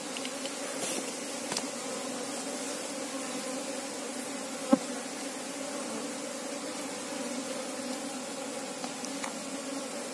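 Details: Colony of Asian honey bees, Apis cerana, during a search for the queen, giving a continuous low drone with a clear overtone band, steady throughout, with a sharp tap near the middle and light crackles.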